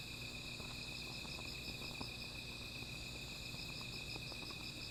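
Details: Insects at night beside a small fire, a constant high trill layered with a rapidly pulsing higher trill, joined by light crackling of the flames.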